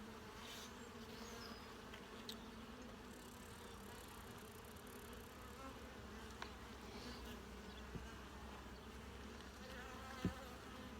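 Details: Honey bee colony during a full hive inspection, frames checked for eggs, larvae and capped brood; steady droning hum with banded low tones throughout, a few sharp clicks of handling.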